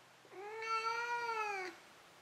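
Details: Domestic cat before dozing off, giving a single long meow of over a second, steady and slightly arched in pitch with strong overtones, in a quiet indoor room.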